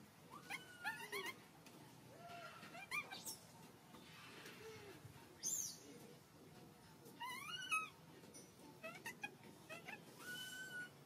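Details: Sparse, thin whining cries from a baby monkey hungry for milk, short arched wails and a couple of sharp squeals spaced apart, against a quiet hiss of background noise.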